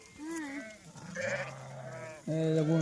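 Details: Goats taken out to graze as part of Dhangar herding life; wavering, nasal bleats in short bursts, one near the start and a louder, steadier one at the end, with men talking in between.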